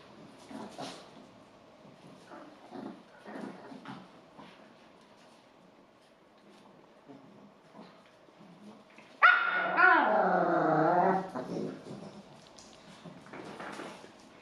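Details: Yorkshire terriers of the Golddust type, five dogs kept together indoors, mostly quiet with faint rustling and shuffling, then one loud burst of high, harmonic yapping barks lasting about two seconds before quieting again.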